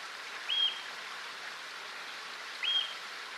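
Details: A worried yellow-bellied marmot warns its colony of possible danger with shrill whistles. Two short, level, high whistles come roughly two seconds apart against a constant background hiss like running water.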